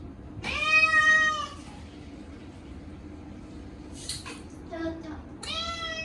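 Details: Chacha, a short-legged Munchkin cat, cries loudly during his yearly bath on a hot day, washed with a catnip shampoo: two long, harmonic-rich wailing meows, the first around a second long, with water splashing and small room noise between.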